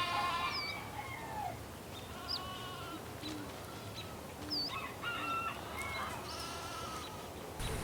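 Sheep bleat in wavering, nasal calls over a steady murmur of background noise.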